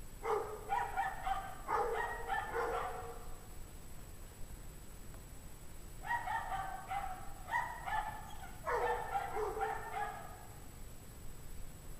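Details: Pack of dogs barking at 5 PM on January 9, 2009, temperature 17°F; two dense bursts of rapid, overlapping barks and yelps from several animals, separated by a brief lull.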